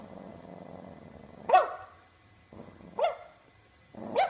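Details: A dog barks three times in sharp, loud bursts spaced about one and a half seconds apart, each one opening with a rising yelp-like onset, with a low rumbling growl filling the gaps between barks.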